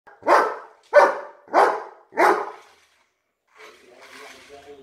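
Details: A German Shepherd barks at a monster truck: four loud, deep barks about half a second apart, followed by a softer rumbling noise.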